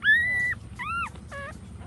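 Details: Puppies nursing while their mother dog stands give three high whimpers: a long, level, slightly rising whine, then two shorter arched cries, clear against a quiet background.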